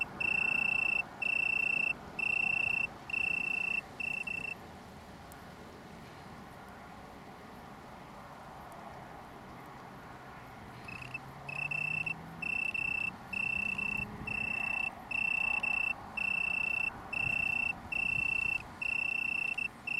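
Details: Italian tree cricket (Oecanthus pellucens), small downland colony near Brighton, UK, 21 September 2019; clear trilled bursts at the start, then about six seconds of quiet before the pulsed trilling resumes and continues to the end.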